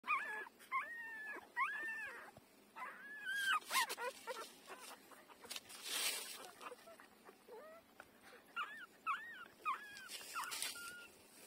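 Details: Five-day-old puppy taking milk from its mother, giving short high squeaky whimpers, arched and hooked, in quick clusters with brief pauses, plus soft rustling between calls.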